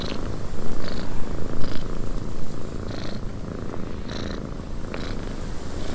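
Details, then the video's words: Domestic cat purring in a windy cabin: a steady, low rumbling purr with a pulsing rhythm as breaths go in and out, while brief brighter gusts of wind hiss through the background. "Cat Purring in a Windy Cabin"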